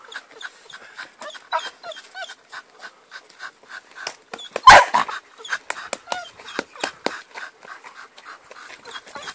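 A Bull Terrier gives rapid, high squeaky whines and whimpers, with one louder yelp midway.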